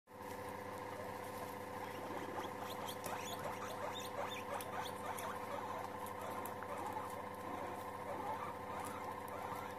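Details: Guinea pigs meeting and getting together; soft, scattered squeaky chattering notes come irregularly throughout, set against a constant electrical hum with light pattering and clicking.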